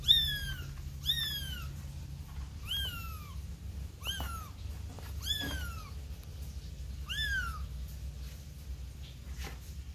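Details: Kitten of a domestic cat named Tumi's litter, brought back in with its mother: loud, clear mews, each sliding downward with rich overtones, about seven in a row roughly once a second over a low steady hum.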